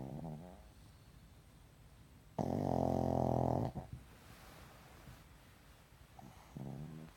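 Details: Pug asleep, snoring in rough rhythmic breaths: short quieter rattles, then a loud, harsh, fluttering snore lasting over a second, quiet breathing, and another softer rattling snore at the end.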